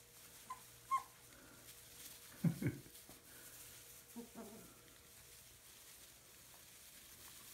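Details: Puppies indoors, with a few short low whimpers and grunts around the middle and a faint higher squeak near the start, set against a steady background hum.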